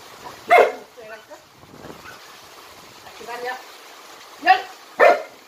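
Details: Jinmyeong, a jump-roping Jindo dog from Jindo County, lets out a loud bark, then a pause with soft voiced sounds, then two more barks close together near the end.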